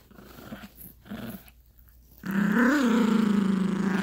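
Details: Yorkshire Terrier puppy Gracie plays with a dog toy on a bed with her owner. After quiet rustling, a loud, sustained low growl begins, rising briefly in pitch, then holds steady and rough for nearly two seconds.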